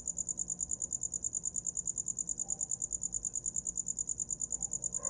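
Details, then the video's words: Cricket heard as a sleep sound, producing rapid high trills of about eight even pulses per second, steady and unchanging; a short soft lower sound enters at the very end. "Som de grilo para dormir"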